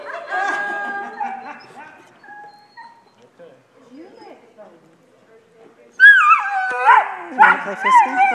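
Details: Great Dane bitch trying new dog sports, agility, disc dog and nose games, outdoors in Rising Fawn, Georgia. A person talks before a pause, then sudden loud, wavering whines and yips rise and fall near the end.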